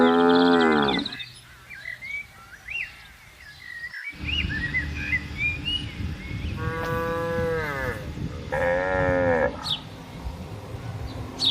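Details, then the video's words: Cattle wandering and grazing in green countryside; a moo at the opening, then two shorter lowing calls later over a constant rumble of background noise, with bird chirps scattered throughout. "Sapi Lembu Berkeliaran di Alam Hijau 🌿‼️ Suara Moo Moo Lucu dan Menenangkan"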